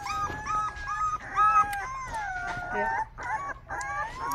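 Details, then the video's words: Rottweiler puppy giving its first barks: high, tonal yelps and whiny cries with clear stacked harmonics, a string of short rising-and-falling calls, a few drawn out longer, with faint indoor background noise. "first barks"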